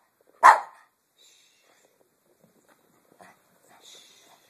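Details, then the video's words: Pet Chihuahua, indoors, prompted to talk, gives one sharp bark near the start, followed by faint rustling and soft background sounds. "the talking chihuahua"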